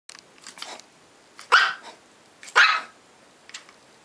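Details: Ten-week-old Shih Tzu puppy barking indoors: two sharp, high yappy barks about a second apart, with softer short yips before and after, in a quiet room.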